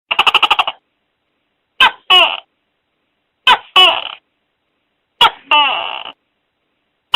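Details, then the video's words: Tokay gecko calling loudly, a harsh creepy-sounding voice. A rapid stuttering rattle opens, then three loud two-part croaks, a short sharp note and a longer falling bleat, repeat about every one and a half seconds, with silence between. "Suara Tokek Seram dan Keras"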